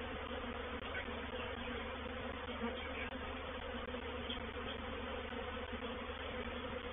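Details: Reproductive swarm of honey bees entering a bait hive at Painted Peacock Manor on 04/07/21: a dense, continuous droning hum with strong low bands, filling the recording evenly throughout.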